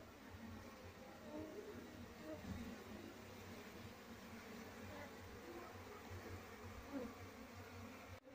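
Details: Wild honey bees at their nest before the colony is moved into a cultivation box; a dense, continuous low hum of many bees, fluctuating gently in loudness, with faint background rumble.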